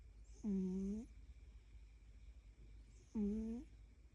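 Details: Sleeping cat giving two tonal, buzzing snores, each lasting about half a second, spaced nearly three seconds apart, with faint low background hum in a small room.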